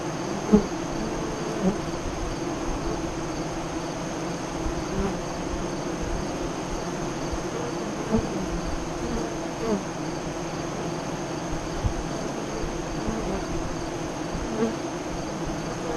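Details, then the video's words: Honey bees at a west-facing hive entrance 5 miles east of Lyons, Nebraska, during the 2017 solar eclipse, about 2:48 to 3:00 CDT; a dense, steady hum of many bees with occasional louder passes of single bees close by. "Honey Bee Hive Eclipse 2017"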